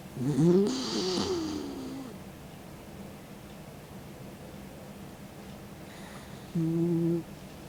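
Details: Mick, a 16-year-old dog, snores in his sleep with his tongue out: a loud rasping inhale at the start with a wavering whistled tone, quiet breathing between, then a short droning snore near the end.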